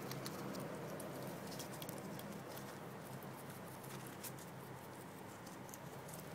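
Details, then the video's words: Bebe, a pet guinea pig, eating fresh grass: soft, rapid crunchy ticks and nibbling patter, about three bites per second, over a steady low hiss. "Guinea pig eating"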